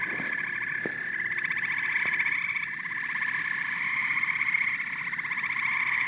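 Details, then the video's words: Frogs and toads in full chorus, many overlapping rapid croaking trills merging into an unbroken buzzy hum, with occasional clicks early on. "Frogs and Toads Symphony"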